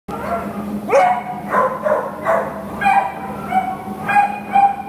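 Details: American Pit Bull Terrier up for adoption, giving short hoarse barks and yips in uneven bursts over a steady low hum, some rising into whiny tones.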